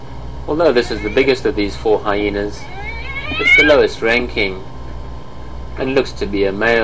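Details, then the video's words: Hyena calls in a busy run of short harmonic notes, some bending upward, with a longer rising wail near the middle and a fresh cluster of clipped notes toward the end, over a low steady hum. "Hyenas some vocalizations"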